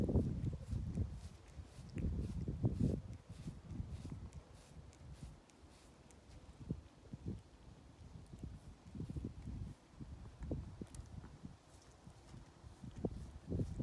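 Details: Purring from Ovenmitt, a domestic cat lounging on a garden table on a County Kilkenny farm in Ireland, kneading the air and table in pleasure; deep throbbing rumbles swell and fade in repeated breaths, outdoor rustle behind.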